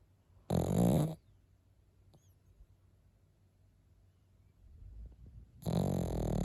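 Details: A sleeping Pekingese gives two harsh, rattling snores about five seconds apart. The second is drawn out and swells gradually, and the room is quiet between them.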